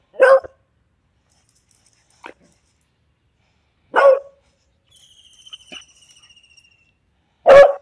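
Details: Beagle Veany at a dog hostel on day two, barking loudly three times, roughly every three and a half seconds, one brief softer yelp between, and a faint high whistling tone before the final bark.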